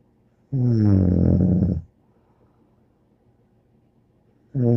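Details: Snoring dog called Bear: one long rough, rumbling snore of over a second, a pause of near silence, then the start of the next snore at the end.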